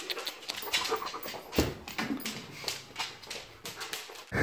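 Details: Dog indoors during a house tour, breathing in quick, rough broadband bursts like panting or snuffling, with sharp clicking sounds scattered between and no speech over it.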